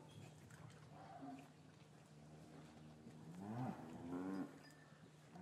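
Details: Cows in an English cattle yard on a winter afternoon after the calves were taken from their mothers; two short, moderately loud lowing calls near the end, bending upward, with a constant low hum and yard clatter behind.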